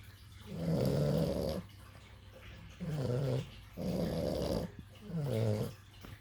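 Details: Two sleeping puppies snoring indoors: four rough, low, rasping breaths, each lasting about a second, with pauses between them and a faint hum in the background.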